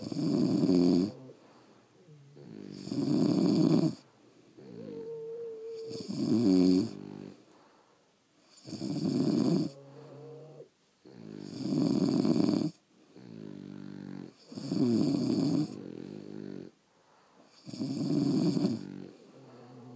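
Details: Pair of French Bulldogs sleeping at home, snoring steadily with loud raspy breaths roughly every two and a half seconds, about eight cycles, each loud snore separated by softer wheezy intakes and brief whistling notes.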